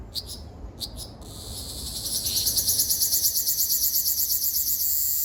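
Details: On Okinawa Island, Japan, 17 June 2026, a Ryukyu large brown cicada starts up after a few short ticks, building into a steady, high, shimmering buzz that throbs in quick regular pulses and continues to the end.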